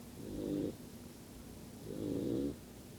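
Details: Sleeping yellow Labrador Retriever puppy snoring: two soft, rasping, buzzy snores, each lasting about three quarters of a second, roughly a second and a half apart, in an otherwise quiet room.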